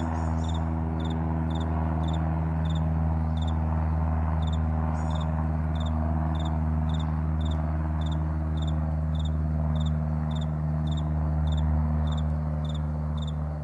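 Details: Morning crickets on a wide meadow chirp in quick, high, evenly spaced pulses above a steady low droning hum.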